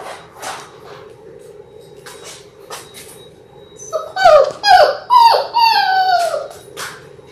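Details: Six-week-old Labrador Retriever puppies, part of a litter of six born January 18, 2022: after a few seconds of quiet shuffling come a burst of loud, falling whines and yips, then a long drawn-out whimper that trails off.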